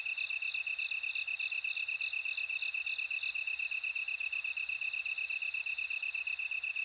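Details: Ringing insect song of a bell cricket, a sustained bright tone peaking about every two seconds. A rapid pulsed chirping persists underneath in a steady night-insect chorus.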